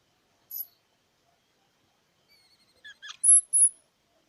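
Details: Squirrel giving high, thin squeaks: one short chirp, a pause of near silence, a few soft clicks, then quick chirps building into two loud, piercing whistled notes close together. No other sounds.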